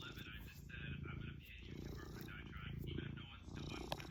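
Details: ["Kneading house cat giving a continuous low, throbbing purr, with a person's voice speaking over it."]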